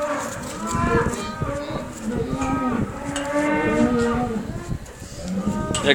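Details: Cow in the company of a Rhodesian Ridgeback gives almost continuous moaning moos, pitch wavering and sliding, calls following one another with hardly a gap for six seconds.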